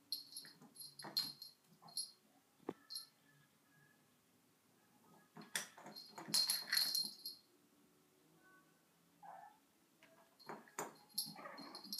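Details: Sona, a pet dog, indoors beside a vacuum cleaner's electric cable, gives soft thin whimpers and brief high squeaky bursts in irregular clusters, with quiet pauses between, plus faint scuffing and clicking sounds in a small room.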